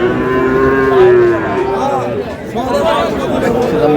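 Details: At a busy Raniganj cattle market, Sahiwal bull calves are traded; a drawn-out, slightly falling moo opens, followed by further lowing calls tangled with men bargaining and market chatter.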